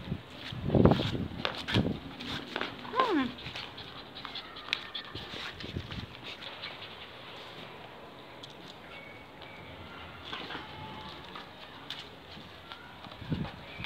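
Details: A young Belgian Malinois pup and its mother, who is shown training it to be fierce, give short, sharp barks and yelps, loudest at the start, then fading into quieter rustling.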